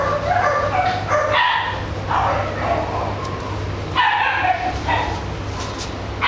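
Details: Italian Greyhound voicing strained, harmonic whines and yips in two clusters separated by a brief pause, over a constant low hum.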